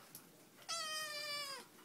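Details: Talkative black Siamese kitten, male, eight weeks old, vocal about his new canine housemate. A single long, bright meow lasts about a second, holding level and then sagging downward at the end.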